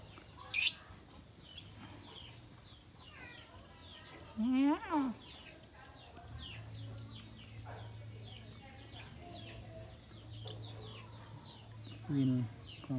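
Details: A white cat meows twice, once clearly in the middle and again briefly near the end, amid frequent small bird chirps and a faint steady hum.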